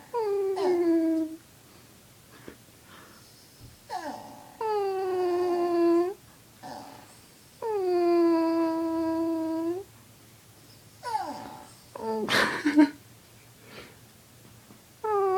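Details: Pet dog howling indoors in reply to its owner's weird vocal sounds; steady, drawn-out wailing tones held one to two seconds, repeated in several bouts separated by short pauses, with a sharp burst of noise near the end.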